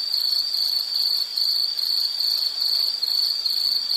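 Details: Insect chirping in a nature scene, a steady high-pitched trill pulsing in short rapid bursts with brief dips, continuous throughout over a soft hiss, no other clear sounds.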